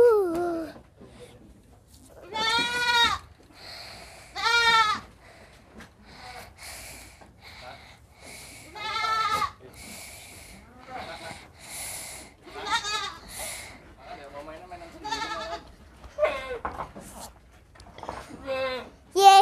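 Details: Little goat, playful and hard to catch, giving repeated tremulous bleats with a shaky, vibrato quality, some high and thin, spaced every second or two, with people chatting softly in the background and its mother nearby.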